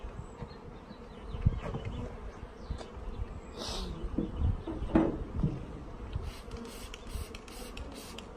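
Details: A shipped package of honey bees, out of food after a postal delay, being installed. Continuous low droning hum under frequent knocks, rustles and brief scraping noises from handling.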